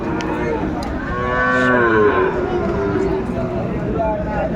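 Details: A Sahiwal bull calf, about seven to eight months old, is being traded at a Faridpur cattle market on 24 December 2024. A single long, swelling moo rises and falls midway, surrounded by steady market hubbub and voices.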